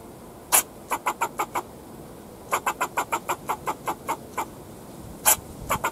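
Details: Backyard fox squirrel scolding a person nearby, giving loud clipped barks in rapid strings of five to ten, opening with a single harsher note, short gaps between runs.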